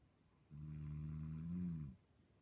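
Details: Low, droning snore from a dog asleep and dreaming, a single drawn-out rumble of about one and a half seconds that swells slightly before stopping in a quiet room.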